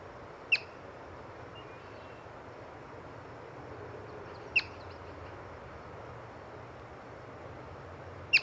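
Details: Yellow-bellied marmot found while birding repeats its loud, piercing chirp three times at intervals near four seconds, each a crisp short whistled burst over faint continuous hiss.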